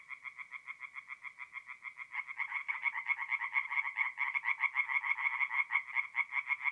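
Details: Night chorus of tree frogs in a north-east Italian forest pond in mid-April: one caller's rapid rattling croaks are joined after two seconds by others, thickening into an overlapping, pulsing din.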